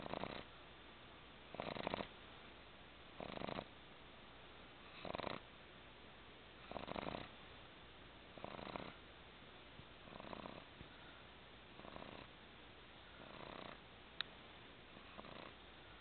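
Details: Tired twelve-week-old pug puppy comfortably asleep on a person's lap in a recliner, snoring steadily: about ten raspy, throaty snore bursts, evenly repeated every one and a half to two seconds, with quiet pauses between them indoors.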